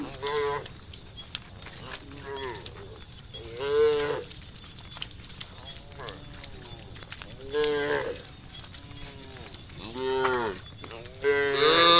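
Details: A herd of dozens of tame cattle heading toward a grass area, with a run of drawn-out, bending moos from several animals spaced a few seconds apart, a constant high insect buzz behind them.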